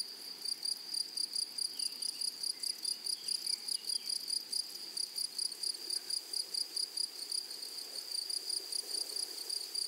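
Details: Grasshoppers in a flower-rich meadow: a shrill, unbroken high tone overlaid with quick rhythmic pulses, roughly two or more per second, continuing steadily with faint low rustle beneath.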